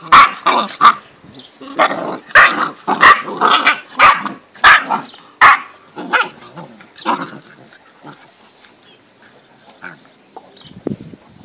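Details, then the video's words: Great Dane puppies, 8.5 weeks old, from a litter of five recorded on 4 June 2014, giving a rapid run of sharp, high yelping barks, then fainter scattered yips and rustling. "Deutsche Dogge litter - F - 4.6.2014 - 8,5 weeks old"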